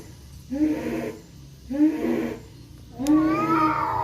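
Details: Two male kampung cats, black and striped, confront each other in a forest in Indonesia; short rough nasal growls come in three bursts, the last rising into a wavering wail.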